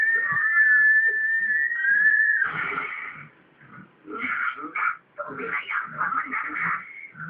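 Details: A corgi playing with water gives a high, whistling whine, then a run of warbling, yodel-like yelps and grumbles.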